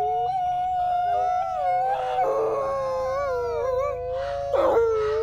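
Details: Two captive-born Canadian/Rocky Mountain gray wolves, a brother and sister, howl together at a wolf conservation center in South Salem, NY, long smooth tones sliding up and down and overlapping in a duet.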